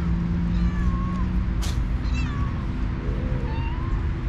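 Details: Stray cats on a cat island: two alpha cats, leaders of two cat groups, fight by talking while the others eat. Several drawn-out wavering meows and growly calls answer one another over a steady low engine-like hum and a brief click.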